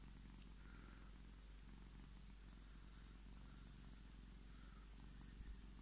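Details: Scottish Fold cat Tommy purrs while demanding his petting: a steady, low, rumbling purr runs continuously, with faint higher hums drifting in now and then.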